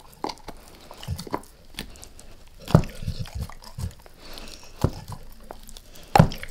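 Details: Max, a pet dog, biting into a beef rib: sparse, distinct crunches separated by quiet pauses, with two loud snapping bites, in a small indoor room.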